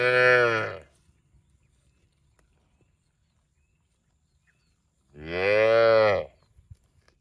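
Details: ['A cow gives two loud, deep, buzzy moos about five seconds apart, each lasting roughly a second, with near silence in between.']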